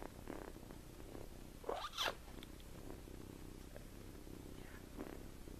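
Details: A sleeping 7-week-old farm kitten named Tommie snores in a hand; low rhythmic purr-like breathing runs under the whole stretch, interrupted near the middle by a couple of louder rustling sweeps.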